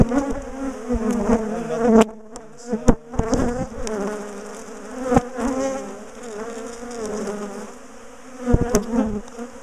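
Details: Bees of a large colony in a top bar hive, notorious for chasing people down the garden, droning as the hive is dismantled for relocation; a steady, rich buzzing of a crowd of insects punctuated by repeated wooden knocks and clicks.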